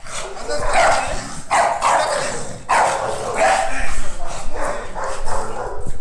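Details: Female American Bully Pocket aged nine months, training as a protection dog, lets out a run of gruff, evenly spaced barks, roughly one per second, mixed with people talking and low rumbling background noise.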